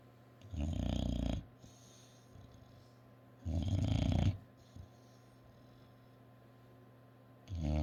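An English bulldog snores loudly, with long rattling breaths every few seconds.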